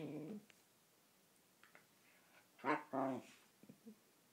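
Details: Whippet being chatty while pestering an Italian greyhound: a short groaning, harmonic grumble at the start, then two louder moaning yowls near the middle, with faint small clicks and snuffles between.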